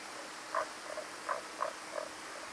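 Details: Tago's brown frog heard by voice alone, giving a few short low croaks spaced roughly every third of a second over a soft steady hiss.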